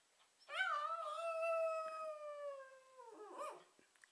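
A dog gives a long, smooth howl that swells, holds steady, then sinks gently before breaking off.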